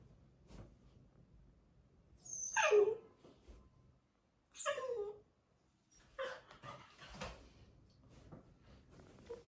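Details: Labrador Retriever puppy scolding a person for disturbing him, indoors: two high whines sweeping sharply downward, a few seconds apart, then several shorter broken grumbling yips, with low background rustle.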